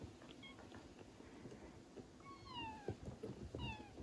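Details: Indoors in the Netherlands, a mother Traditional Siamese cat licks a newborn kitten so it will pee; a faint short mew comes first, then two clear falling meows close together, with wet licking sounds underneath.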